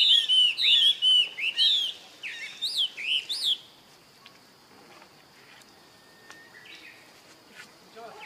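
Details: Help calls of a young baby monkey, Rainbow's younger brother: a rapid burst of shrill, arched cries, several each second, ending abruptly after about three and a half seconds, followed by quiet background with faint distant sounds.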